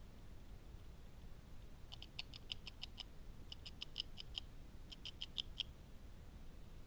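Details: Beaver feeding, gnawing on wood: three bursts of rapid, sharp dry ticks, roughly seven or eight per burst, separated by short pauses, over a steady low background rumble.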